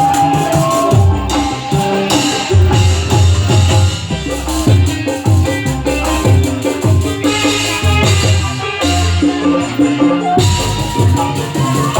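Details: Loud Latin-style music with steady drums, maracas and percussion plays at a horse dancing show, with no animal sound.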